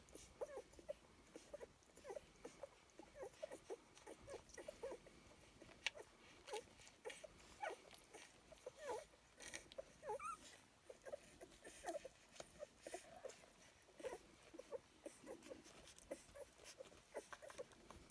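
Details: Several puppies at feeding time, giving many short high whimpers and squeaks repeated in quick irregular bursts throughout, with clicks and shuffling of feeding in the background.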